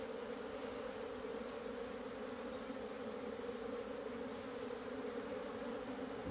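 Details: Colony of Asian honey bees in their hive, 26 September 2023, excavating the food comb; continuous thick humming at an unchanging pitch, with a faint bump at the very end.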